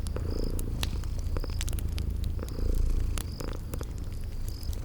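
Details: Sleeping kitties purring in a cozy spring garden ambience by a crackling fireplace: a steady low rumbling purr throughout, with sharp fire crackles and short high chirps repeating about once a second.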